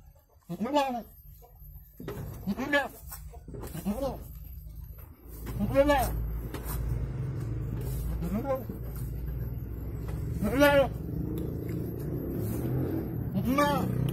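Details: Goat giving birth to two kids in Indonesia; several short quavering bleats spaced a few seconds apart over a steady low hum, with brief voices in the background.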